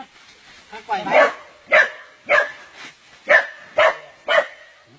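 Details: A dog caught in the jaws of a giant snake, barking in sharp bursts about twice a second, each bark short and loud, with excited men's voices shouting in the background.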